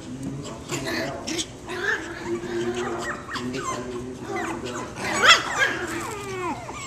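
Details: A parti-coloured Pekingese puppy about six weeks old gives short, high yips and whimpers while playing with other puppies, with human speech in the background.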